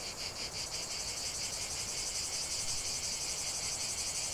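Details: Cicada song in a natural setting, a shrill pulsing buzz from several insects forming an unbroken high-pitched drone with quick regular beats.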